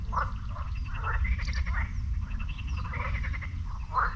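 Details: Chorus of frogs at a lake by the beach in Sinemorets, recorded one morning in May 2022; overlapping rasping croaks rise and fall in quick pulsed bursts, with thin high chirps of birds and a constant low background rumble.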